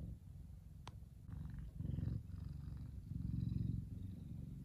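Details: Sun-basking big male F2 Savannah cat purring contentedly, a deep continuous rumble rising and falling with each breath, with a faint click near the start.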